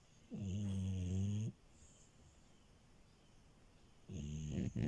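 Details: Female French Bulldog asleep on a bed, giving a long, low, rattling snore with a buzzy harmonic drone lasting about a second. A quiet pause follows before a second snore begins. The room is otherwise still.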